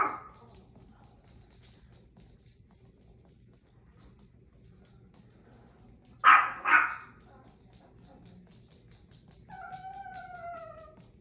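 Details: Sassy Chihuahua letting out two sharp, harmonic barks in quick succession, followed after a pause by a drawn-out whine that slides downward for about a second; otherwise quiet apart from a brief sound at the very start.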